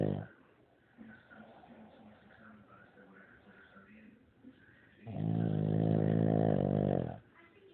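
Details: A sleeping Shih Tzu snores loudly. Soft, rough breathing rumbles along for about five seconds, then one long, deep, buzzing snore on the in-breath lasts about two seconds before quiet breathing returns.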